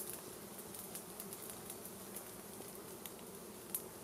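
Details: A dense, even hum from honey bees as a wild beehive is smoked out for its honey, with faint crackling layered over the drone.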